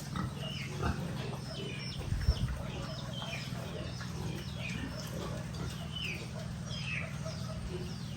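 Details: Piglets on a rural pig farm give scattered short high squeals and soft grunts, many animals overlapping, over a steady low mechanical hum that fills the background throughout.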